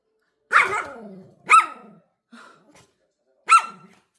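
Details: Pet dog Coco, freshly bathed and dodging a brushing at home, barks sharply indoors: two loud barks a second apart, a faint short yip, then one more bark after a pause, with silence between.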